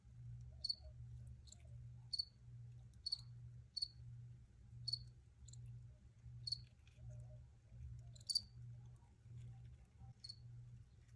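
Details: Chirping crickets: a fairly regular series of short, bright, high chirps roughly once a second, with a few fainter extra clicks, over a muted low throbbing background hum.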